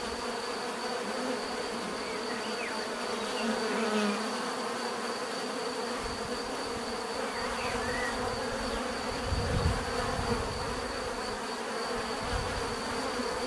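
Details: Continuous hum of a bee swarm, many insects droning together in a thick, even buzz; single bees fly close now and then, adding short rising and falling whines and a few low swells of sound.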